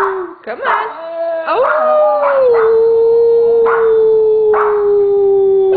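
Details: Siberian Huskies, three dogs including Simba, urged to howl on cue. Wavering rising howl settles into a long steady falling tone while short harsh barks and yelps cut in repeatedly over it.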